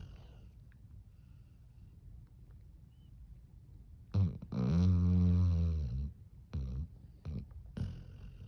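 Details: Sleeping dog snoring loudly: low background hum, then at about four seconds a deep, rasping snore with a droning tone lasting nearly two seconds, followed by three short snorting breaths.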